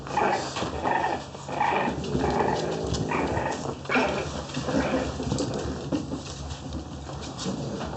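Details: French Bulldog puppy in Oyabe, Toyama Prefecture, Japan: rough, low growling bursts that come in uneven pulses about once or twice a second, with some softer whimpery notes, over steady background hum.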